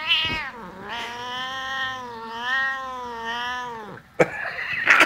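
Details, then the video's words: Max, an angry pet cat reacting to a hand waved before his face, lets out a long, loud, harmonic caterwaul that wavers up and down for nearly four seconds, followed by a sharp thump and rustling. "Max the coolest angriest cat on the planet"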